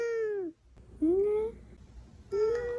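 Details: A male domestic cat gives three short tonal meows, each sliding upward or falling, replying when its owner calls its name; its meows to its owner are said to sound like the Korean word for "older sister".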